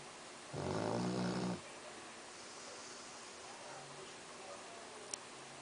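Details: Labrador Retriever named Axel, asleep indoors, gives one deep, harmonic snore lasting about a second. A quiet room hush follows, broken by a faint click near the end.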